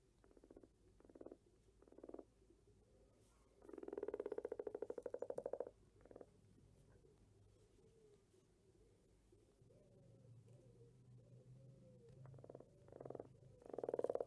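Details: A frog gives a series of pulsed, rattling croaks of varying length. A long, buzzy croak runs for almost two seconds midway, and short bursts return at the end over a faint low hum.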